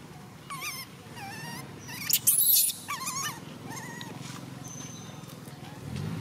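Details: Baby monkey MoMo, a tiny female, cries as she falls down. Wavering tonal whimpers come in short bursts, with one louder harsh shriek in the middle, over a low rumbling background.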